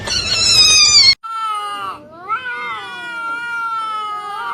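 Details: Kitten meowing: a loud, high, harmonic-rich meow about a second long, then after a brief gap a longer, lower meow that dips and rises again before gradually falling, with no other clear sounds.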